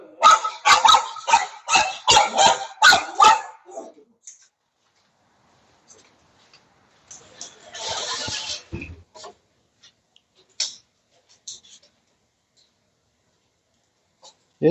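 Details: Dog barking, filmed for a lesson on barking problems and how to solve them: a fast volley of about eight sharp barks in four seconds, then quiet with a burst of rustling noise and scattered clicks.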